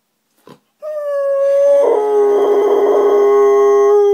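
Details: Frankie, an Alaskan Malamute, howls back to a neighbour's female dog whining on a morning with the window open: a short yip, then one long steady tone that drops slightly and holds, rough and strained in the middle.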